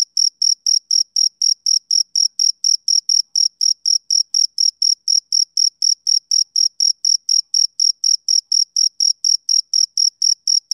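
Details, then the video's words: Male cricket chirping on a summer evening: a steady run of high, pure chirps pulsing about twice a second, with a fainter overtone above, against an otherwise silent background. "Cricket Chirping Sound Effect"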